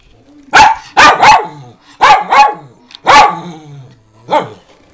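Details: Rescue house dogs, Min Pins and a three-year-old fawn Doberman, giving a rapid series of six harsh barks in uneven pairs and singles, the last one softer, with a faint low rumble beneath.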